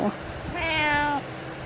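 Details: Pet cat meowing as it keeps its owner company during exercise at home; a clear, tonal meow of about 0.6 seconds with strong stacked harmonics, steady then falling away, between the owner's cheerful talk.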